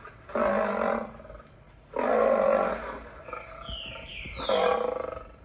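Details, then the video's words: Lion roaring in three loud, broad bursts of about a second each, separated by short pauses, with faint higher chirps between the second and third bursts. "Lion sounds"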